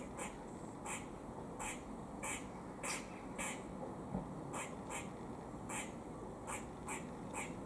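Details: Squirrel making a warning noise while eating in Cambridge, UK, on 17 October 2020: short, harsh, broadband chucks repeated about every half second to second over a steady hiss of background noise.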